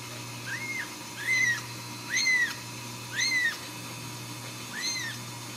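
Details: Ragdoll kittens raised at home without cages in a cattery in central Kansas: five clear, arched, high mews with rising-then-falling pitch, repeated roughly once a second, over a steady low indoor hum.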